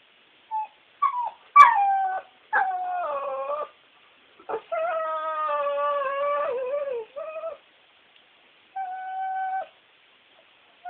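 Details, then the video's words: Bulldog Guinney, crying for treats or at the TV, gives a run of drawn-out nasal whines and howl-like wails. The tones bend downward and sometimes waver. Short yips break them up, and a thin steady tone closes the sequence. "My bully cries like a girl!"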